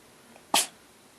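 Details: A pet cat sneezing in the middle of play: one sharp, explosive burst lasting about a fifth of a second, with a faint small sound just before it and a quiet room otherwise.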